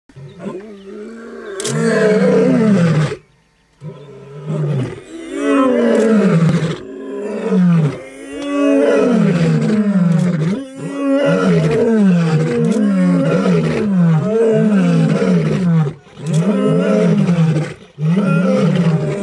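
Deep, throaty lion vocalizations rise and fall in long moaning phrases, broken by short gaps. The calls come in rapid succession and sometimes overlap, as if more than one animal is calling.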